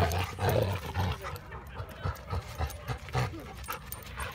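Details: Two Labrador Retrievers, one yellow and one chocolate, play-fight over a tennis ball in friendly fun. Low, rumbling growls and huffing pants come in rhythmic bursts about twice a second.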